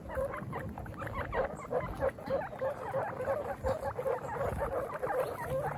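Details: Baby guinea pigs on their first picnic: a busy overlapping chorus of short squeaky calls, rapid and irregular, several every second, over a steady low background hum.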